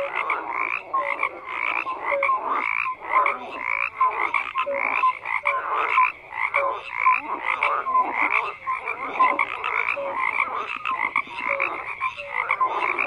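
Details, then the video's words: Croaking frogs in a large group, rhythmic bursts of rasping calls pulsing roughly every half second, interspersed with short tonal notes, forming a steady dense chorus. "FROGS CROAKING"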